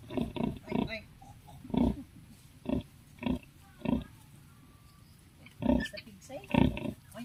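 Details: Native sow with her 11 piglets on a backyard farm: about nine short, low, gruff grunts in uneven bursts, some in quick pairs and triplets, separated by brief pauses.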